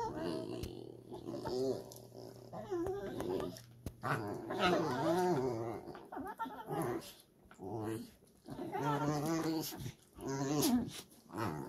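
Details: Pair of Dachshunds vocalizing at each other in noisy rough and tumble play, with rumbling, warbling growls and whining moans that rise and fall, in repeated bursts over roughly twelve seconds with brief quiet gaps.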